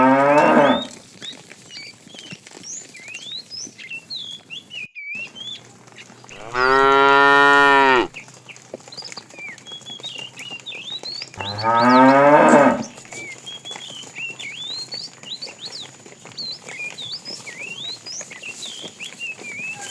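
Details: Tame herded cow, described as fat and calling the female, in the afternoon: three moos, a short one at the start, then a loud level bellow and a wavering one, among frequent high chirping birdsong.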